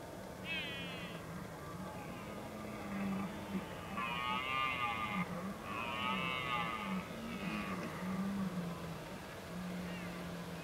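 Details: Red deer during the rut at the Oostvaardersplassen on 15 October 2011: several moderately distant, wavering harmonic roars overlap and follow one another through the clip above a steady low hum and background noise.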